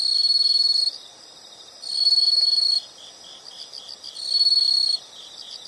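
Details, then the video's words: Insect sound from a nature recording: loud shrill trills about a second long alternate with softer pulsed chirping, the bright high buzz returning roughly every two seconds. "the sound of insects"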